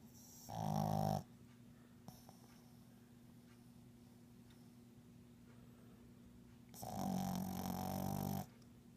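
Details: A pug dog snoring while asleep: two loud rasping, growly breaths about six seconds apart, quiet room hum between them.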